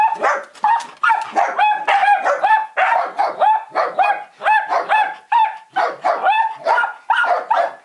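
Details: A female black-and-tan miniature dachshund barks sharply and high-pitched in quick, uneven bursts, telling off a window cleaner, and a longhaired dachshund joins in.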